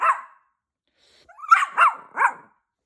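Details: Scolded puppy answering back: one yap, a pause, then three quick sharp barks in a row, voiced as protest at being told off.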